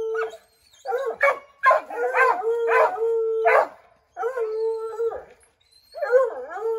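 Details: A pack of Redbone Coonhounds treeing a chipmunk in an oak: continuous mournful baying howls with steady low tones broken by choppy yelps, pausing briefly before resuming.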